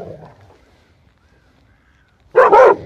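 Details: Airedale Terrier playing football in a pond at a kennel in Vienna, Austria: after near silence, a loud, harsh double bark bursts out near the end, rough and mid-pitched, lasting about half a second.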